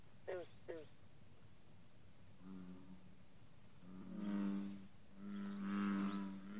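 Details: Bullfrog chorus on a 54-degree morning with green frogs present: two short sharp twangs near the start, then low, harmonic droning calls building after a quiet stretch, with a faint background hiss.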